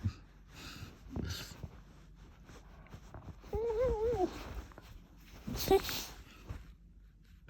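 An Aussiedoodle gives a wavering, whiny moan that rises and falls, with snuffling breaths around it.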